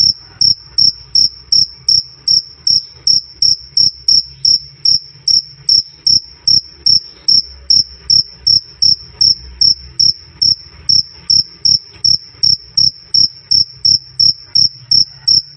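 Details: A cricket chirps loudly and cleanly in a long unbroken series, shrill high notes about two and a half per second, very even in spacing and strength, with a soft low background hum.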